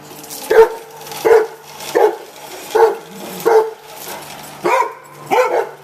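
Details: Two Rhodesian Ridgebacks bark at a radio-controlled pickup truck: seven loud, deep, clipped barks in an evenly spaced run, about one every 0.7 seconds, with a faint steady hum behind.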